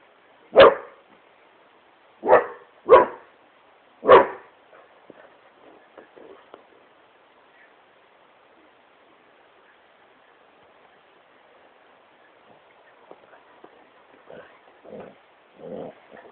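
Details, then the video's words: Great Pyrenees Smokey playing on the couch in his room: four heavy barks in the first few seconds, then a long stretch of quiet rustling and faint soft whines or grumbles. "Great Pyrenees smokey barking at couch"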